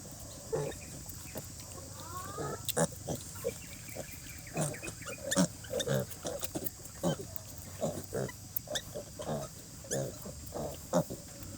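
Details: Sow and piglets sleeping through cold rainy weather, giving a run of short, low grunts repeated irregularly every half second or so, with one brief rising squeal early on, all over a continuous background hiss.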